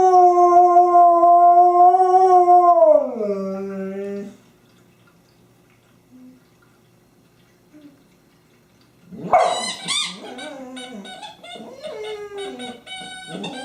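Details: On 24 January 2012, Honey the dog, playing with her favorite squeaky toy, sustains a loud howl that bends steeply downward and trails off, then after a pause launches a second wavering, higher howl.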